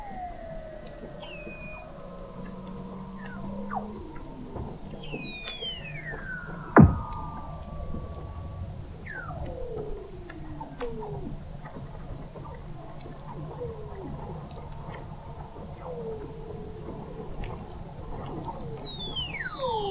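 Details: Under Antarctic sea ice at the McMurdo Oceanographic Observatory, November 2017, several Weddell seals overlap in a chorus of descending whistled glides and swooping tones, with one sharp click near the middle and a steady low hum beneath.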